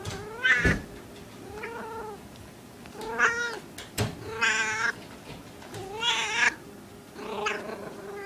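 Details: Small female cat in heat producing a run of about six loud, quavering yowls, each wobbling in pitch and lasting under a second, separated by brief pauses and a couple of sharp knocks.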